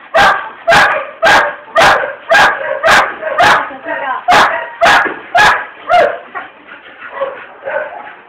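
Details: Female pit bull barking in a steady series, about two loud, sharp barks per second for six seconds, then a run of quieter, softer barks trailing off.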